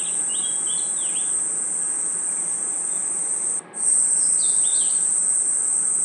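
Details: Crickets and insects chirping in a forest at night as a continuous high-pitched whine, cut by a sudden brief drop out past the midpoint; short, bending bird whistles sound at the start and again near the end.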